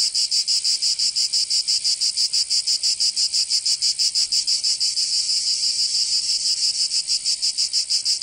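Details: In the south of France, Provence, cicadas sing on a summer day: an intense, sizzling high buzz beating in even rapid pulses near three each second, continuous and uninterrupted.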